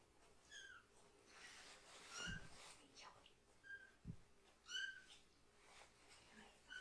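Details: Foster rescue kitten, one of three siblings still needing toilet help, crying loudly in protest while only its lower body is washed indoors; a series of high, harmonic-rich meows, roughly every second or two, amid handling noises and soft voices.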